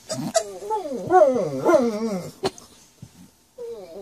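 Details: A pet dog 'talks' in a drawn-out, wavering whine-howl that rises and falls in pitch over about two seconds, followed by short sharp sounds and a softer wavering tail at the end.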